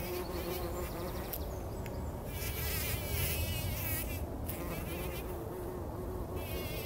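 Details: Early in the morning before sunrise, bumblebees rolling in poppy flowers for pollen hum with a deep, steady, droning buzz that swells and fades as they move close.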